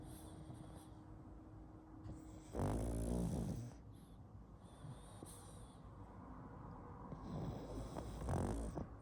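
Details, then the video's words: Pug asleep and snoring: a loud, rattling, low snore burst early on, softer snuffling breaths after, and another rasping snore near the end, with a faint steady hum underneath. "Мопс спит и храпит"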